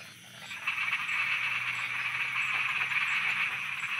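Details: Night chorus of frogs in Thailand, many callers croaking at once in a fast, continuous rattling band that rises in volume after the opening second and holds steady.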